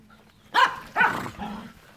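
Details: Two sharp, ringing barks half a second apart from one of the dogs Enzo and Ozzy, followed by a softer trailing yelp, in an otherwise quiet room.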